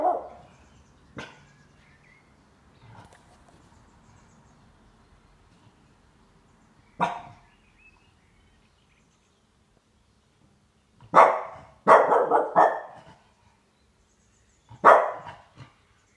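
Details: A French Bulldog, twelve months old, in its first bout of howling-type vocalizing: scattered short, rough, mid-pitched bursts, with a quick cluster of three near the end, separated by near silence.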